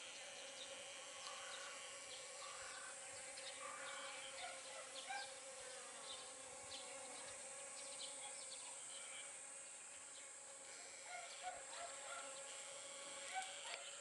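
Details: Honey bees working pumpkin flowers during pollination, giving a steady layered hum with stacked harmonic bands that swell and fade as insects move, over a constant background tone and scattered faint chirps.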